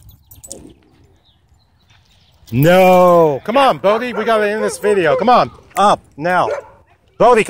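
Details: Wolfdog at a dog park threatening a man: after two quiet seconds, a loud sustained moaning howl-like note breaks in, followed by a run of short rising-and-falling harmonic yowls with brief gaps between them.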